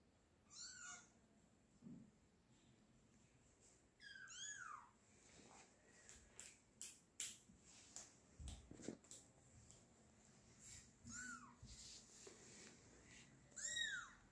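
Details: Fifteen-day-old kittens mewing indoors: several thin, high, arched cries scattered through the stretch, with soft knocks and handling noises between them.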